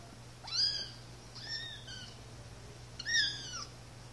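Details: Playing one-month-old Siamese kittens, brother and sister; three high meows, the first rising then falling, the second short and flat, the third loud and dropping at its end.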